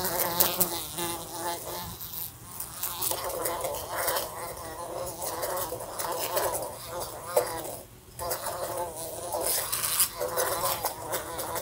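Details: A fly buzzes around a lamp in a room and knocks against it. A wavering, continuous drone goes on with brief quieter gaps and scattered tapping clicks.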